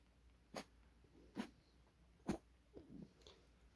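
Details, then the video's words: Puppy snorting as it hides away indoors: five short, sharp, breathy puffs spaced roughly a second apart, each a brief broadband burst, with a quiet room behind. "콧방귀 뀌며 숨어버리는 강아지"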